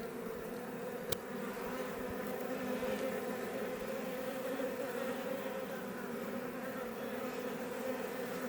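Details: Iberian honey bees (Apis mellifera iberica) outside a Langstroth hive west of Roquetes, South Tarragona, Catalonia, Spain, near Els Ports National Park: a dense, steady droning hum of many bees, unbroken throughout, with one sharp click early on.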